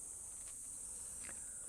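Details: Cicadas sing a steady, high, hissing drone with no breaks, on a very hot day on Nokonoshima island, Japan, on the hilltop overlooking Hakata Bay, with a couple of soft footsteps beneath.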